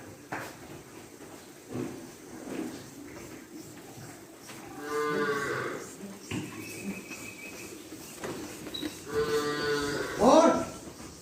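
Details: Cattle on a farm mooing: two long, harmonic moos around five and nine seconds, the second rising into a strained end, with people talking in Hindi in the background.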